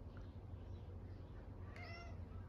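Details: Cat named Odeko, talking while lying flopped on the floor on a hot day: one short, soft, nasal meow with clear stacked harmonics near the end, over a steady low hum of room or fan noise.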